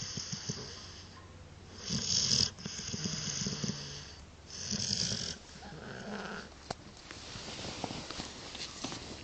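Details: A sleeping dog snoring: rough, breathy snores come in broad noisy bursts, roughly every two seconds. Some are louder and harsher than others, with faint clicks and rustles between breaths.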